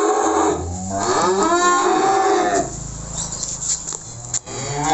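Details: During a cattle delivery to Magelang, Indonesia, Simmental or Limousin cattle low in a long wavering moo that bends upward, then fades into a lower, steadier drone with some background clatter.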